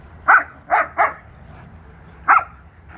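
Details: Arlo the German Shepherd and Appa the Husky wrestling in play as cooler weather arrives; three quick barks in a row, then a fourth after a short pause.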